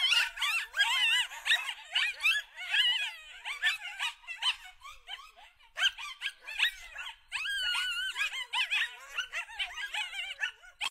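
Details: Wild coyote pack at Lake Tahoe in California, caught on a trail camera in full chorus: rapid excited yips and barks mixed with warbling, bending howls from many voices, swelling and fading in waves.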